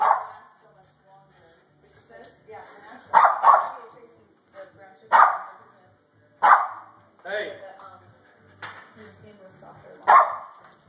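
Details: Japanese Spitz dog playing with a clothes pin, with about five short, sharp barks spaced a second or two apart, mixed with a person talking and urging the dog on.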